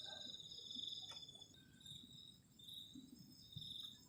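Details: Night chorus of crickets in cold weather by a garden shelter, a thin, high continuous trill from several insects overlapping, with occasional soft taps and thuds close by.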